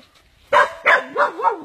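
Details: Dog attacked by an anaconda gives two sharp barks, then wavering whines that rise and fall in pitch over faint background noise.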